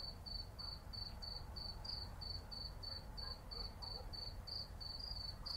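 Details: City cicadas on a summer night, sharp high chirps spaced evenly around three per second, carried over a fairly loud low rumble of urban background noise.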